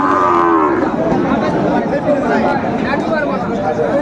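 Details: Sahiwal cattle at a Kushtia cattle market on 16 January 2025, bull for sale; a single moo in the first second fades into market chatter and crowd noise.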